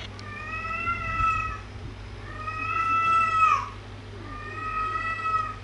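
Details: Three long, clear cat meows, each about a second long, flat then bending at the end, spaced roughly two seconds apart over a quiet indoor background hum.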